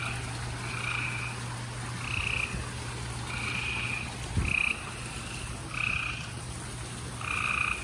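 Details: Several gray treefrogs trilling at night in spring near Houston, Texas, late April 2020: short buzzy trills repeated every second or so, overlapping, over a constant low hum and a brief thump.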